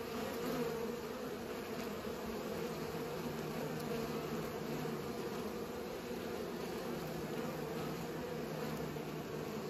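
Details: Bees buzzing while they pollinate: an even, unwavering drone with a clear low tone and a few faint clicks.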